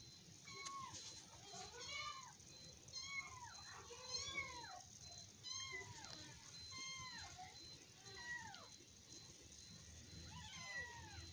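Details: Cute kittens wrestling and play-fighting; a run of about nine short, high mews, each rising then falling in an arched cry, coming roughly once a second, with faint human speech underneath.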